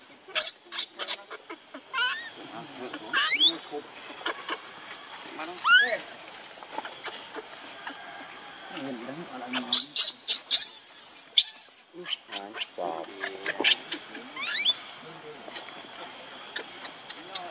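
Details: Hungry baby monkey Lucie begging her mother for milk and being refused; repeated shrill, wavering squeals and screeches come in clusters throughout, some rising and falling, with quieter whimpers between outbursts.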